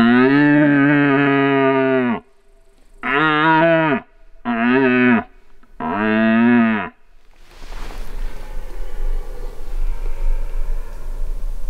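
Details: Red deer stag roaring during the rut: four long, deep, harmonically rich roars, each lasting about one to two seconds with short gaps, followed by rustling and background noise.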